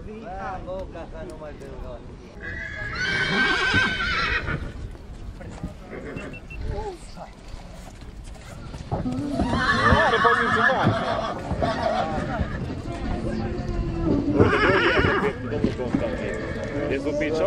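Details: Mare from Satu Mare, Romania, giving several loud whinnies in bursts around the fourth, tenth and fifteenth seconds, shrill and wavering, while men talk in Romanian throughout.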